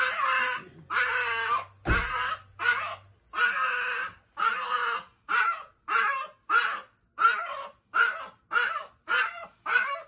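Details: Chihuahua screaming excitedly when its owner comes home, a run of about fifteen harsh, loud, drawn-out yelping cries in quick succession, each roughly half a second long, with brief gaps between them.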